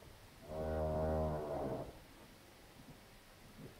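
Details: Heifer moaning during a difficult calving on a farm in Poland: one deep, drawn-out moo of about one and a half seconds, rich in low harmonics, rising slightly then fading, followed by quiet barn background.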